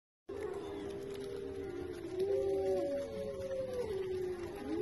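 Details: Wolves howling: several long, smooth, overlapping tones slide up and down and cross one another, forming a steady chorus that begins after a brief silence and carries on throughout.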